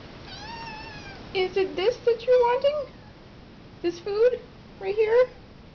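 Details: Tiny kittens asking for food indoors give a faint drawn-out meow, then a run of short, rising, lower-pitched mews in quick bursts, mixed with a person's voice.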